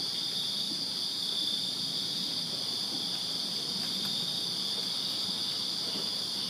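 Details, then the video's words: A summer-night chorus of crickets in a Virginia backyard: continuous piercing trills stacked at two high pitches, unvarying in loudness, with a murmur of low ambient noise beneath. "Crickets Chirping Summer Night in Virginia"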